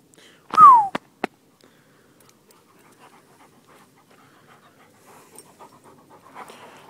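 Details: Two seven-month-old Newfoundland-Labrador mix puppy brothers, Maximus and Atticus, playing outside: one short, sharp yelp sliding downward, then two brief clicks and soft panting and rustling.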